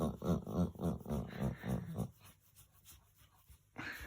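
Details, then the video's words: Pet dog making pig-like grunting noises while being petted, a fast, steady run of low snorting pulses for about two seconds, then quiet, followed by a person's voice. "Funny dog noises"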